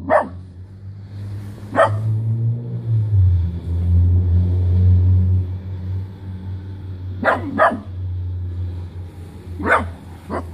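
A miniature dachshund gives sharp, scattered barks over a steady low rumble like a passing vehicle.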